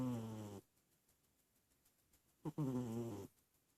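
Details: Sleeping cat snoring: a raspy, harmonic-rich breath rumbling low, a brief quiet gap, then a second snore starting with a short catch before a longer drawn-out rasp.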